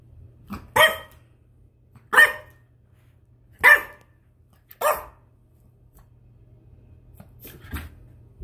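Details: Indoors, the 10-week-old French Bulldog puppy Spud practises his new voice with four quick high yapping barks roughly a second apart, then a softer final yip, amid faint shuffling in a small room.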